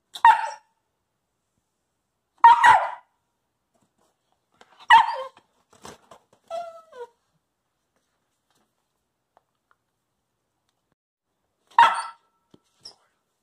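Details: Coastal wolf puppy, a wolfdog, making its cute little chatter in return for treats indoors: short yippy barks every two to three seconds, with a soft whine in between, then quiet before one last bark.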